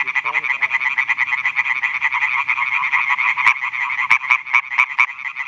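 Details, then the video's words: A male European tree frog at a pond edge in Schleswig-Holstein, Germany, calls for females at night amid a chorus of other males; loud harsh pulses form a rattling stream, ending in sharp separate clicks, with a brief murmured voice early on. "Rufende Laubfrösche (Hyla arborea)"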